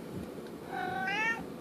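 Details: Merlin, a talking domestic cat asking for his treats, gives one rising harmonic meow lasting about half a second, with quiet room noise behind.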